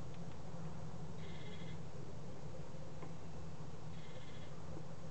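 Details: Rescued adult male serotine bat at evening feeding time, recovering from exhaustion and dehydration; two brief buzzy squeaks about three seconds apart, set against a constant low mechanical hum.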